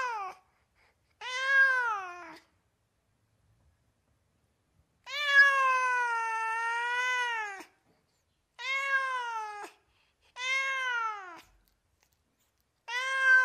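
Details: Domestic cat meowing repeatedly: clear, drawn-out meows that rise then fall in pitch, each one to two and a half seconds long, separated by short silences, with one long whining meow in the middle; quiet indoor setting.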